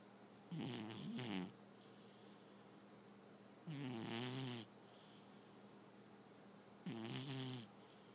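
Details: Sleeping domestic cat snoring: three drawn-out rattling breaths, each close to a second long and roughly three seconds apart, with a low vibrating buzz and airy hiss, quiet room between breaths.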